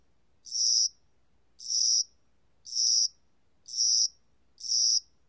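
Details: Spring-summer cricket (Korea), recorded for the National Institute of Biological Resources, 2020: five high, shrill chirps, each about a third of a second long, repeated roughly once a second over a quiet background.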